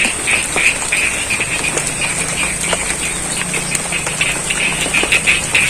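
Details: Frogs croaking in the rain in the middle of a rice field at Sidorejo, Cangkring, Ngadirojo, Pacitan, East Java, Indonesia: rapid, overlapping croaks pulse about three times a second over steady rain hiss and a constant high whine.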